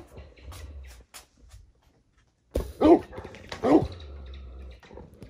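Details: Great Pyrenees at home as RunRun, a female born in 2011, mounts the male Alain to show she is boss; two rising-and-falling whiny yelps about a second apart, with a person talking and household noise.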